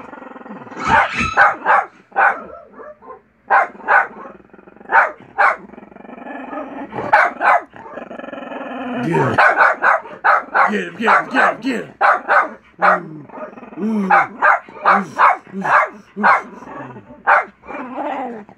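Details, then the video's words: Buster the dog barking at television dogs: a long string of crisp, evenly spaced barks, some in quick doubles, with a brief growling passage near the middle. "Buster barking at dogs barking on tv"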